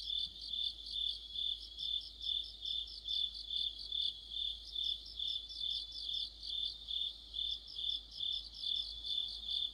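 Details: A chorus of crickets and other insects in autumn, with high, thin, continuous chirring and regular rhythmic surges about twice each second, overlapping voices and nothing else audible.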